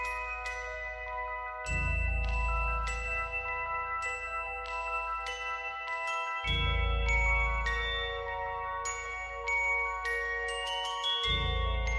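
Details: Bright glockenspiel-like mallet notes ring in repeated melodic runs over a soft, booming low backing, with no animal voice.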